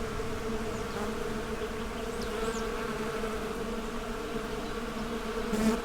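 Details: Steady group hum of honey bees, a low layered drone with faint higher whines drifting past and a short louder swell at the end.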